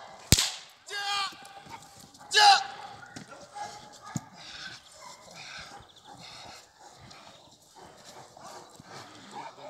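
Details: Perro de Presa Canario at working-dog protection training (Schutzhund) with a decoy; two loud, harsh barks near the start, followed by quieter voices, clatter and faint background activity.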